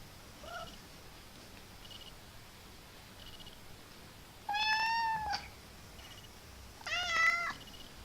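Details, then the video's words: Young pet cat, a male kitten, indoors making odd funny noises: two drawn-out harmonic meows, the first level and steady, the second wavering and rising, with faint high ticking between them. "Our Cat Mickey Makes Hilarious Noises"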